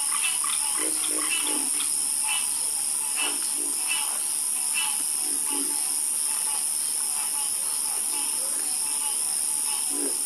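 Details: Frogs croaking together at night, short pulsed croaks overlapping irregularly about once a second over a steady high hiss of insects or background noise, no other clear sounds.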